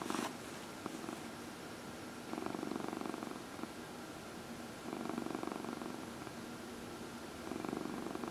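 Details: Domestic cat purring while being massaged, one of four pet cats indoors; steady pulsed purr in long bursts of about two seconds with short pauses between breaths, a faint electrical hum underneath.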